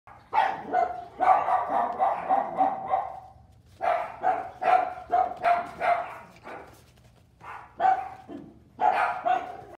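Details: Miniature Mexican hairless dog puppies (xoloizcuintle) playing, giving bursts of short, rapid, high-pitched yapping barks in clusters of several, with brief pauses between bursts.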